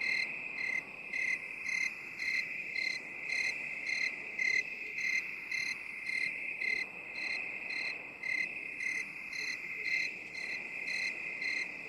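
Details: Crickets chirping in a binaural 8D relaxation recording: a long run of short, high, bright chirps, about two per second, pulses over a steady shrill trill with no other sounds.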